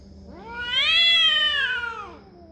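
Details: Cat yowling during a territorial confrontation, a single drawn-out wailing call that rises in pitch, holds strong and harmonic-rich, then slides down and fades over about two seconds in a quiet room.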